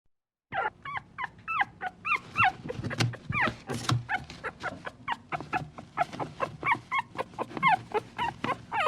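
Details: A puppy whines pleadingly in a quick series of short, high, wavering cries that bend down in pitch, about two per second, with soft rustling and faint thumps beneath.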